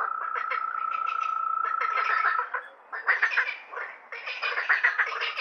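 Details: Night frog chorus: a long level whistled tone runs for over two seconds beneath quick rattling croaks, then gives way to bursts of crowded, uneven chattering calls.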